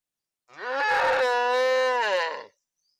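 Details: A single steady cow moo lasting about two seconds, full and harmonic, holding an even pitch before fading out cleanly.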